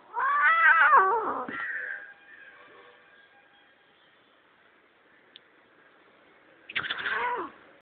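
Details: A pet cat gives a loud, wavering, strained meow that drops at the end, then quiet room noise before a second short, harsh cry.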